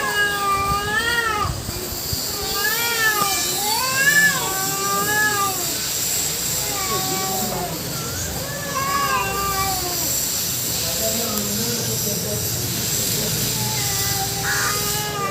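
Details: Domestic cat fight between two females and one black male: repeated undulating yowls swooping up and down, rapid wavering wails in overlapping bursts, quieter moaning calls later and a low background rumble.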